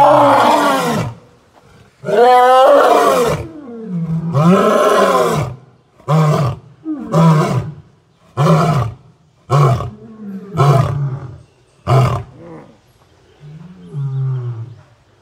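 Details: A lion at Southwick Zoo delivers a full roaring bout: long, deep, swelling moans break into a run of shorter, throaty grunts, repeated about every second and fading toward the end.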